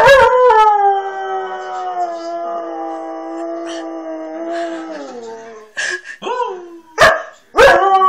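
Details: A Siberian Husky, annoyed by a person teasing him, gives a long, mournful howl that slides gently downward, then ends in sharp yips.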